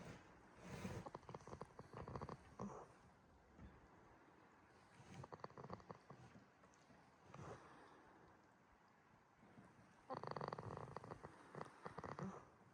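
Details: Goat named Jitta snoring while asleep at Yoshigake farm in Himi, Toyama, Japan, on a quiet farm: soft raspy, breathy snores return every two to three seconds, the final snore longer and louder.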